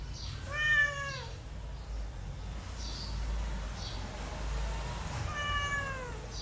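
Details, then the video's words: Mother cat with kittens indoors, two clear, high meows falling in pitch, separated by a pause of about four seconds with only faint background noise between them. "Mother cat with kitte behavior sound effect"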